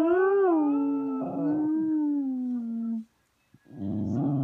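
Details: A female Cocker Spaniel gives a long, wavering howl that slowly sinks in pitch, then starts another after a pause, while watching a video of another cocker spaniel.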